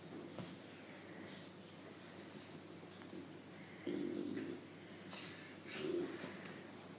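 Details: An English Bulldog female gives low, rough snorting grunts in short bursts while being teased, which she loves.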